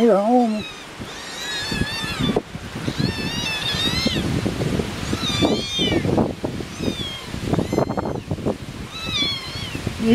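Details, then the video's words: Several hungry farm kittens outside with their mother on a windy day give high, thin, repeated meows, each rising then falling, while a woman talks over the wind. "sounds like your kittens are all hungry."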